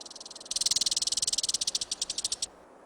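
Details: American red squirrel in a high-mountain whitebark pine forest in mid-September gives a fast, dry rattling chatter of about two dozen harsh pulses over two seconds, slowing slightly at the end; such chatter can signal a pinecone midden nearby.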